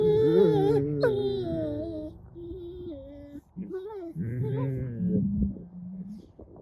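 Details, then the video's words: Pair of wolfdog puppies playing over a rope toy, giving long, wavering, tonal whines that bend up and down and break into short, higher squeaky notes, with a low murmur beneath. "Wolfdog Growls & Weird Funny Strange Noises These Two Puppies Make"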